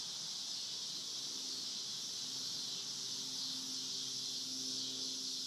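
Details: Cicada chorus on a farm: an unbroken shrill buzz at high pitch, slightly swelling and fading, over a faint low background hum.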